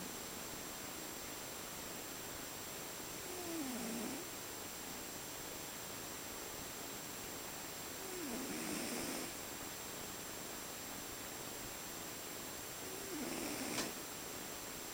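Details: Domestic cat snoring while asleep indoors: three soft, wheezy breaths roughly every five seconds, each with a low falling tone and a breathy hiss, over steady background noise.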